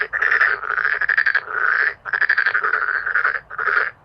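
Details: A loud, dramatic chorus of male black-spotted pond frogs, with dense rasping croak trains rising and falling in waves with barely any silence between them.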